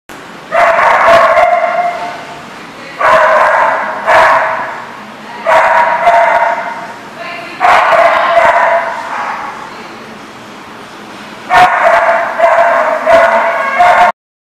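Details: Dog barking, recorded 6/9/14. Loud, harsh, rasping barks come in dense clusters every two to three seconds, with a quieter lull near the middle before the barking resumes.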